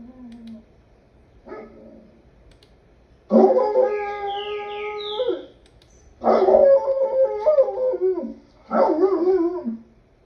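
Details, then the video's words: Wolf howling: a faint low tone, a short call, then three drawn-out wavering howls with rich overtones, the first about two seconds long and the others shorter, separated by quiet gaps. "Wolf sounds"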